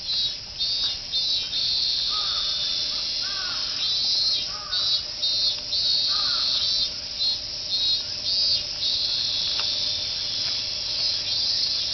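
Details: Massed cicadas ringing out "meen meen" like a chorus beside the walking path in Fuchinobe Park; a constant high-pitched buzz with regular brief dips in loudness, and a few faint arched bird calls in the first half.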